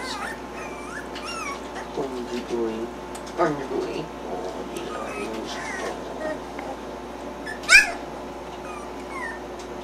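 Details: Three-week-old puppies starting to move around a little, giving short squeaky curved whimpers and whines scattered through the clip, with people talking quietly nearby and a steady low hum underneath.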